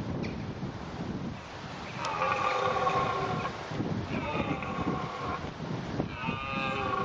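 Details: Red deer during the rut at Bedfords Park: three drawn-out, moaning roars with rich harmonic layers, each lasting about a second, separated by short pauses over a steady low rumble of background noise.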